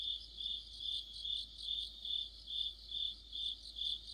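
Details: Crickets and other insects in an autumn chorus: a steady, high chirping pulse beating about twice per second, layered with fainter, higher shimmering trills and a quiet background.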